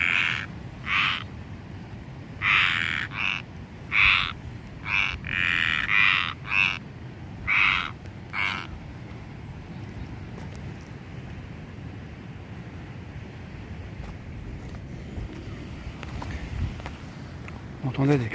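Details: Frogs or toads heard on a walk, giving a run of about ten short, bright croaks at irregular intervals, then falling silent, leaving only faint outdoor background noise and a brief rustle near the end.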